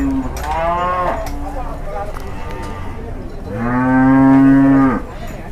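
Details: Raging, agitated cattle in Indonesia called 'possessed': two loud, rich moos, the first about a second long and the second a longer, louder bellow swelling and then cut off sharply, with low rumbling between.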